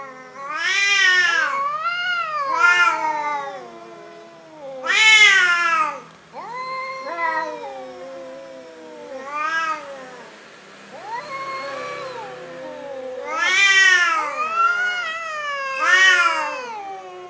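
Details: Timid orange domestic cat meowing repeatedly, long drawn harmonic meows that rise then fall, several loud ones near the start and a cluster near the end, with a steady high electronic whine behind.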